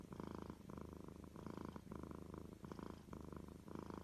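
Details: Domestic cat purring in a clear breathing rhythm, a rumbling pulse swelling roughly every half second with short soft gaps between inhaled and exhaled phases.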